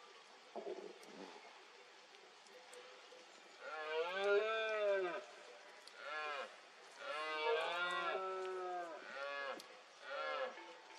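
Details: A red deer stag gives deep, drawn-out roars during the 2022 rut in Cantabria, Spain, amid mist, each rising then falling away.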